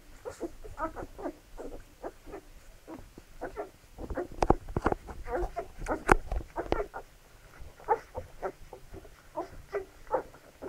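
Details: Several Labrador Retriever puppies being fed, a busy stream of brief squeaks and whimpers overlapping, punctuated by sharp clicking and knocking noises near the middle.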